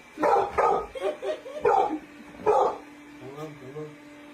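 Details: Domestic dog giving a quick string of four sharp, loud barks in the first two and a half seconds, then quieter; laughter and household chatter around it.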